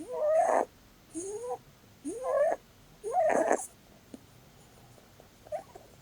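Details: Holland Lop rabbit Blueberry, a female, snoring in her sleep while cuddled: four loud rising whistled wheezes about a second apart, the last harsher and noisier, then a faint short squeak after a pause.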